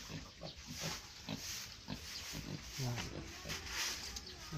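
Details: Native pigs in a small pen giving low, short grunts repeated about every half second, with people talking and a steady high hiss in the background.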